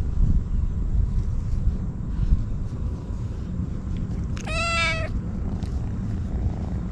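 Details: Stray kitten crying while eating treats: a single short, bright meow near the end, set against heavy low-pitched background noise and outdoor rumble.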